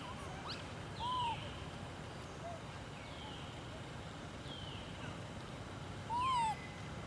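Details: Baby monkey crying after being left alone by its mother: two clear, arched, whistled cries about five seconds apart, with fainter higher chirps between them over a steady background hiss.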